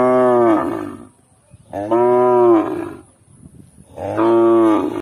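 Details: Cow mooing: three long, loud, richly harmonic lows, each about a second long, spaced roughly two seconds apart, with a brief quiet rustle between calls.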